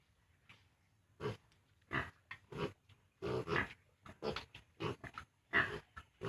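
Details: Six remaining farm piglets, 32 days old and nearing weaning from the sow, produce an irregular run of short, gruff grunts, some doubled, at roughly eighty-six per minute after feeding.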